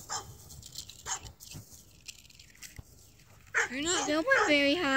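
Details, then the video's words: Dachshund hunting a squirrel: after a quiet stretch of faint clicks and rustles, loud high-pitched whines break out in the last second and a half, wavering and bending up and down in a tense, eager series. "Doxie squirrel hunt"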